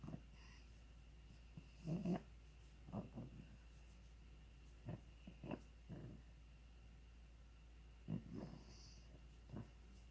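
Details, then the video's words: Ronja the pug makes funny noises: quiet, low snorting grunts in short separate bursts, about seven or eight over ten seconds, with near silence between them. "Ronja the pug making funny noises"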